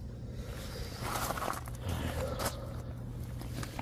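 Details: An early morning outdoor scene in fog carries a low hum, shuffling footsteps and rustling, with no animal voice.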